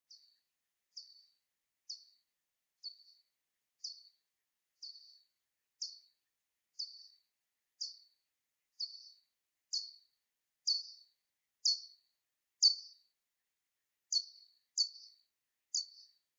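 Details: Soprano pipistrelle (Pipistrellus pygmaeus) echolocation pulses, slowed down to hearing range: clipped chirps repeated about once a second.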